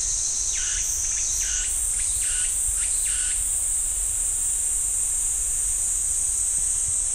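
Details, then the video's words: In a pine wood at Ssanggyesa temple, Jirisan National Park, cicadas produce an unbroken high buzzing whine; early on a series of five quick pulsed phrases repeats about every 0.7 seconds, then the steady drone continues alone. "지리산 쌍계사 소나무 숲 매미 소리"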